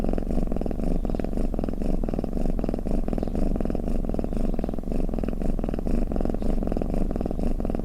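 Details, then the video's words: A cat purrs and snores in a thick low drone, pulsing in regular breath beats about twice a second, with no background noise. "เสียงแมวคราง เสียงกรนของแมว | snoring cat"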